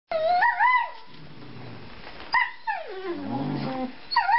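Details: Two 4-month-old male Treeing Walker Coonhound puppies playing; a high whining call slides up and falls near the start, then a second drawn-out whine rises and sags downward, with a short yelp at the end.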